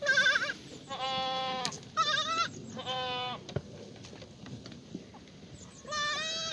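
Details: Black goats at a farm in Gimhae, South Korea, on a sunny Monday morning, 1 April 2019; several wavering, nasal bleats in quick succession, each about half a second, with brief gaps and faint farm background.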